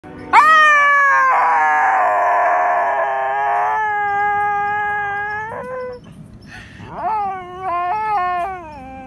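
An American Eskimo Dog howls in long, drawn-out tones that waver, fall away, then rise again.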